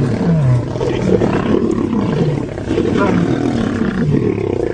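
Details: Lions fighting within a pride, with deep rough growling roars rising and falling in bursts, some gliding moans near the start, under constant harsh snarling, with a voice briefly audible.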